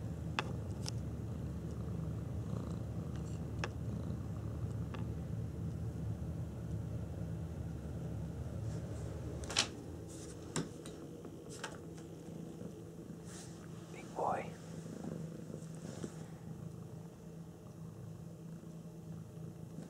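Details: Cat, curious about a ticking clock, purring indoors as a steady low rumble through the first half, then fading; later come scattered clicks and taps and one brief rising squeak near the end.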